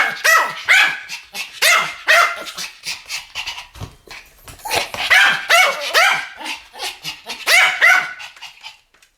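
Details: Two Pomeranians in a barking duet, rapid, shrill yaps in tight clusters of two or three, repeated steadily over nine seconds with brief softer gaps between.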